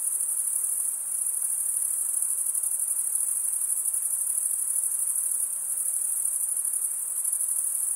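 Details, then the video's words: Crickets chirping, made by males rubbing one wing across the toothed vein of the other. A dense, steady, very high-pitched shimmering trill runs without a break, with a faint hiss below and no other sounds. "Most relaxing cricket sound for 8 hours"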